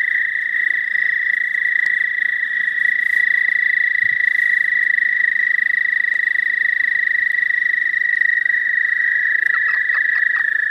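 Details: American toads calling in spring, their long steady trills overlapping into an unbroken high, even buzzing drone that holds a single pitch for the whole stretch, with a few faint clicks and rustles in the background.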